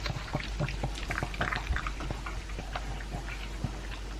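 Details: Elvis, a two-year-old pug, eats dry food mixed with a chunk of beef meat: a fast, uneven run of crunchy chews and wet smacking clicks, close up in a quiet indoor setting.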